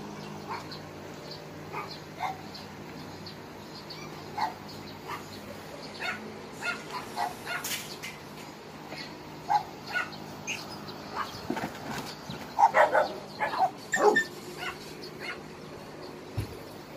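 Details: Dogs at Hanna's shelter, a rescue shelter for abandoned dogs in Daegu, South Korea: scattered short barks and yips from several dogs, some distant, peaking in a busier burst around the twelfth to fourteenth seconds over a low steady hum.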